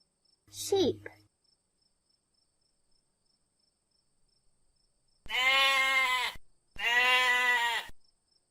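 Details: Sheep bleating twice: two long, nasal, wavering bleats of about a second each, separated by a brief pause, after a short human voice near the start and a long silence.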